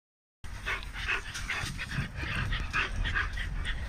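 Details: Big dogs at a kennel in Romania, a chorus of rapid, overlapping barks and yelps repeating about two to three times a second over a low, steady rumble.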